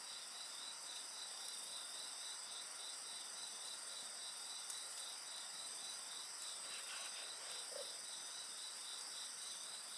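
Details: A bonfire burns amid an unbroken insect chorus: layered high-pitched ringing tones and a quick, beaded trill repeating continuously, with faint crackles of the fire and a brief soft murmur partway through.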